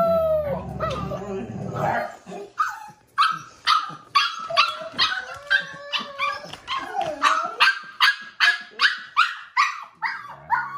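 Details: After a woman speaks, the five-week-old puppy Bubbles, wanting to go back outside to play, lets out steady, insistent yaps, about two a second, rising and falling slightly in pitch.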